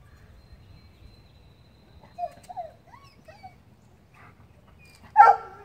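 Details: Lola, a dog, playing with a squirrel: soft, high, wavering whine-like notes in a quiet stretch, then one sharp, loud bark near the end over low background rumble.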